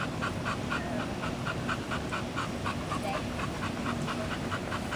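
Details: Katie, a German Shepherd Dog who has just graduated from a full-service training program, breathes in fast, even panting bursts, about four a second, against a steady low hum.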